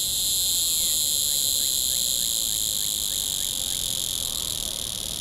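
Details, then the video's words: A hieroglyphic cicada calls from a small oak beside a road in Newton County, Missouri, 9:56 AM on 19 June 2010, temperature about 82 degrees; unbroken, intense high-pitched whining buzz held throughout. "Neocicada hieroglyphica calling in SW MO"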